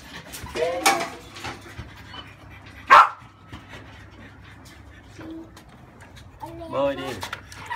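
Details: French Bulldog puppies, 30 days old, squirm during a warm-water bath to clear crusty scalp buildup; two short bursts of high, wavering whines rise and fall, with Vietnamese voices and handling noise between them.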